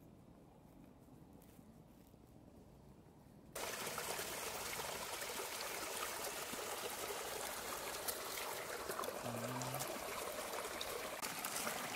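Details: Quiet outdoor hush gives way abruptly to a steady trickling, rushing stream, with no animal call audible.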